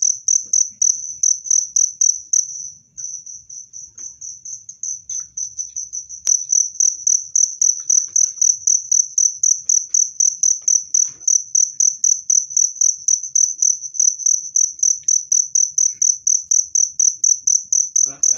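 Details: Cricket sound meant to repel rats and calm stressed cage birds: a steady train of piercing, high-pitched chirps, about four per second, briefly softer near the start, then loud and even with a single click.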